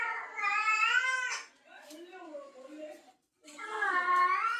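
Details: Female cat in heat answering a male's call. A long, drawn-out yowl opens, then comes a softer, lower-pitched stretch of mixed sounds, a brief silence, and another loud wavering yowl.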